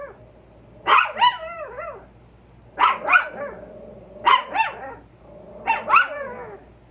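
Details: Chihuahua barking in regular double barks, each pair a sharp high yap followed by a wavering second note, repeated about every one and a half seconds, four pairs in all.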